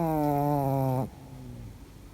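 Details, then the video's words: Sleeping Chihuahua snoring: one steady, buzzy, harmonic snore lasting about a second, then quiet breathing-level room noise. "ЧИХУАХУА. СОБАКИ ТОЖЕ ХРАПЯТ"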